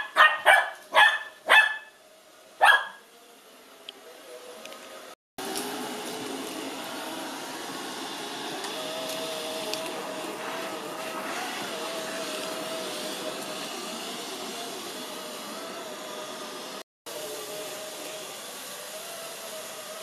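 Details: A Lhasa Apso puppy named Cookie, five months old, reacts indoors to an Ecovacs Deebot robot vacuum it has never seen. It opens with five quick, yappy barks over about three seconds, then the vacuum's continuous hum takes over.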